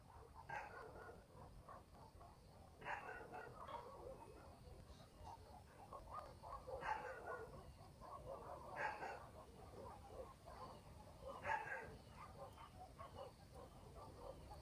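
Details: Village dogs barking at night in the countryside, with single rough barks every two to three seconds, some doubled, and fainter answering barks beneath a continuous quiet rural hum.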